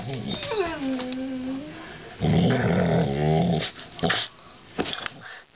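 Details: American Staffordshire Terrier playfully battling a coat hanger indoors: a higher drawn-out falling whine or voice, then a low rumbling growl of about a second and a half, followed by sharp clattering knocks.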